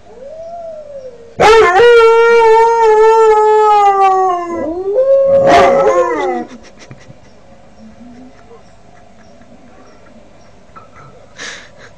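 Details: A 5-month-old Northern Inuit dog named Kodiak practises howling: a soft wavering lead-in, then a loud rich howl slowly falling in pitch, followed by a shorter arching howl and quiet after.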